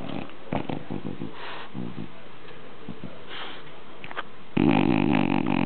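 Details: French Bulldog named Sena snorting with a pig-like nasal sound, a run of short rough snuffles and grunts, then a louder, denser stretch of snorting near the end in a small indoor room.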